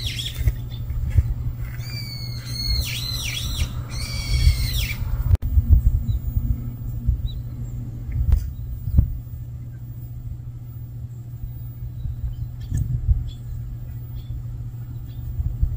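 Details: A stray kitten, said to be unable to live without its mother, gives a short run of high, bent, ringing mews early on, then only low background hum and faint knocks.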